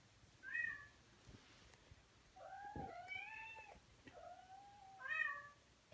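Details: A male Persian cat, smitten with a cat he saw online, calls out with three or four clear meows that are bright, bent and spaced about two seconds apart, with soft room noise between.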